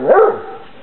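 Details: An 8-week-old Basset Hound puppy, outside for the first time on 26 December 2008 in Poland, gives a single short, high yappy bark that fades quickly.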